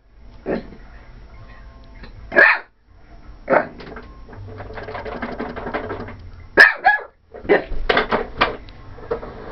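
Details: A female corgi, upset about the vacuum cleaner, barks in sharp, irregular bursts over a steady background hum.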